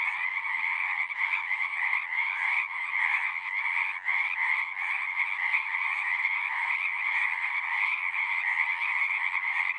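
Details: Chorus of frogs at a pasture pond, captured on a Zoom recorder, a thick unbroken wall of trilling calls layered in two pitch bands, with slight pulsing in loudness across the whole stretch.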